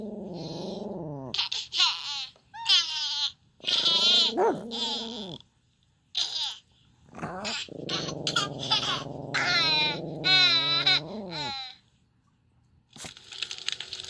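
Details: A small, feisty Pomeranian reacting to sounds, giving a run of wavering, whiny barks and yowls with swooping pitch, some drawn out and others short, broken by brief pauses.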